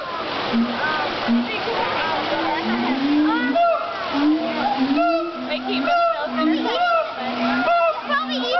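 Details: Siamang gibbons (Symphalangus syndactylus) at a zoo howling: loud overlapping whoops and swooping hoots repeated in a dense, rhythmic chorus.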